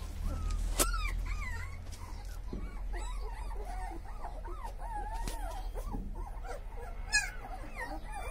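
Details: A litter of show-quality Chippiparai puppies giving thin, wavering whines and little yips, several voices overlapping, with a couple of sudden clicks or knocks.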